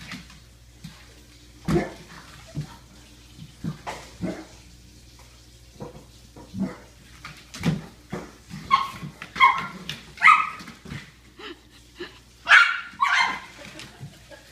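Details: Weimaraner Goliath and pug Daniel playing together, Goliath challenging Daniel; scattered thumps and snuffles at first, then a burst of short harmonic yelps and growly barks from about eight to thirteen seconds.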